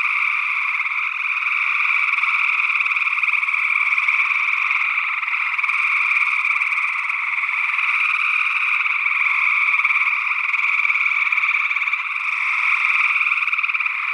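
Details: Early June 2022 night chorus of gray tree frogs in Northwest Wisconsin, with another unidentified frog species present, recorded in ORTF stereo; many overlapping trilled calls merge into a continuous droning wall of sound with gentle swells in loudness.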